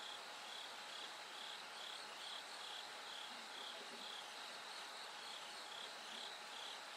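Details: Night-to-dawn song of a bell cricket: bright, high-pitched ringing pulses recur at a steady pace, more than twice per second, standing above a thick, shimmering wash of other insects, with a thin constant tone underneath.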